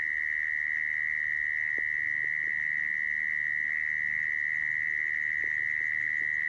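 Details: Mole cricket calling, recorded as a lure for trapping mole crickets: a constant, unbroken buzzing trill, accompanied by a few scattered faint clicks and taps.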